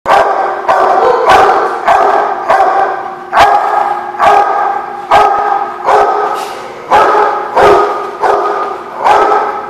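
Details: Dog barking loudly on 17 June 2016, a harsh, rich-toned bark repeated steadily about every three quarters of a second, the barks running together with almost no quiet between them.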